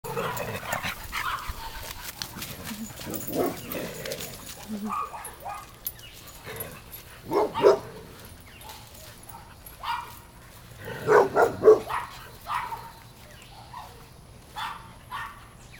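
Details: Eight mixed-breed dogs, among them a husky terrier, boxer lab, basset beagle, catahoula mix and a French bulldog, playing and running around a yard; scattered sharp barks, some in quick clusters of two or three, over rustling movement and low background noise.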